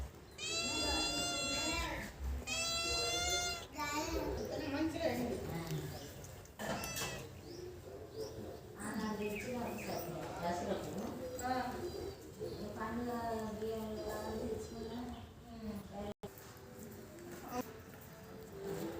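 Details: Two domestic cats, a tabby and a black cat that do not get along, face off: two long, loud, tonal yowls open the clip, followed by lower, wavering, drawn-out cries and growly sounds that rise and fall.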